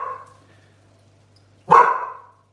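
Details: Neighbour's dogs barking outdoors, heard from inside a kitchen while dog food simmers; after a faint trailing sound at the start, a single sharp, loud bark rings out and fades quickly.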